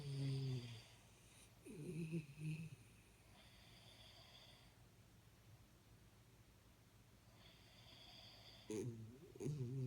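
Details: Sleeping Jack Russell Terrier named Jaxie giving brief low, rattling snores at the start and end, separated by soft airy hissing breaths in a quiet indoor setting.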